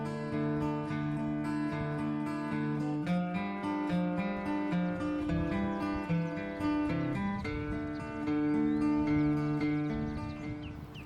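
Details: Acoustic guitar music is heard throughout, with strummed chords and plucked notes and no animal voices.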